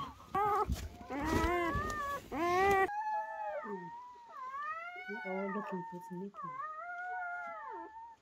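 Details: After a loud, rough burst of rustling and overlapping squeals, newborn German Shepherd puppies from Betty's first-night litter whimper clearly in arched, rising-then-falling whines, each about a second long, in a quiet room.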